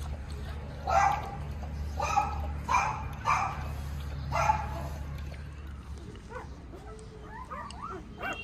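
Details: Young Tibetan Mastiff puppies give four or five short, rough barks about one second apart, followed by softer, faint whines over a low background hum.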